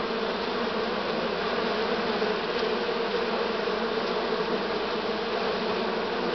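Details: Constant mass buzz of a honey bee swarm from this year, recorded 6 September 2019, with two faint clicks at about 2.6 and 4.1 seconds over the drone.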